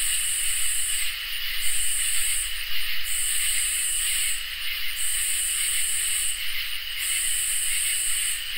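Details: Crickets and katydids on a peaceful summer night, a dense shrill chorus: constant high trill beneath a louder buzzing layer that swells in bursts lasting about a second, separated by short gaps, repeating steadily.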